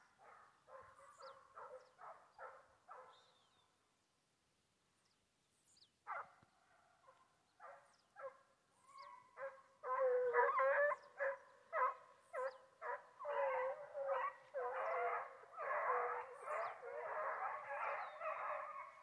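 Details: Foxhounds on a wild boar hunt in Brazil: a series of short rhythmic bays about two per second, a pause, then the pack builds into loud overlapping howling and baying that continues steadily to the end.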